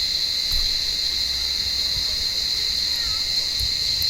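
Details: Cicada chorus in an olive tree on a warm evening, blind cats trying to catch the callers: continuous shrill buzzing hum holding one high pitch with a fainter lower band, with a few faint clicks and rustles.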